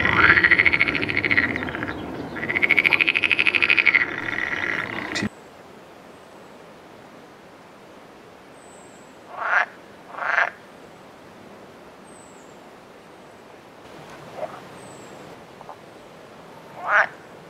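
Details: An edible frog, a fertile hybrid common in the Netherlands, opens with loud rattling, nasal croaking that swells and falls twice, then only a few brief, isolated croaks against a quiet background.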